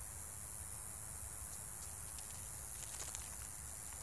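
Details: Male Roesel's katydid singing in an old field in Wagner Natural Area, Alberta; a continuous, very high-pitched buzzing trill holds steady throughout, with faint low rustling underneath.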